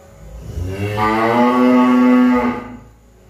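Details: A cow gives a single sustained moo, beginning with a low grunt-like onset and swelling into a steady, rich harmonic bellow for nearly two seconds before tapering off.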